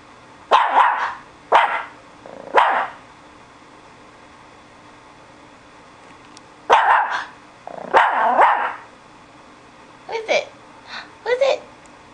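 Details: SuperSaurus the dog barks in bursts: three quick barks, a pause of several seconds, two more forceful barks, then softer, higher yelping barks near the end; quiet indoor background.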